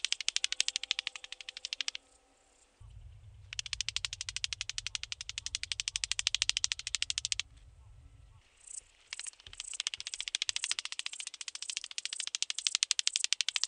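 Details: Psophus stridulus, the rattle grasshopper, at Boltigen, Switzerland, 7 September 2023, making rapid, evenly pulsed clicking rattles in long runs of several seconds, with a low hum behind the middle stretch.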